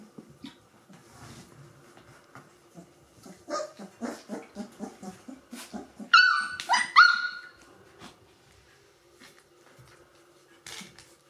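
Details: Three-week-old Gordon Setter puppies of the E litter calling indoors: a run of short, rapid yelps, then one loud, high whining squeal that rises and falls, followed by quieter scattered squeaks.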